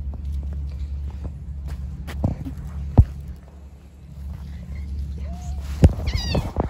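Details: Stray cats living in a park, being given food: one soft meow that rises and then falls, followed shortly by a brief, higher, harmonic-rich meow, set against a steady low rumble and scattered clicks and taps.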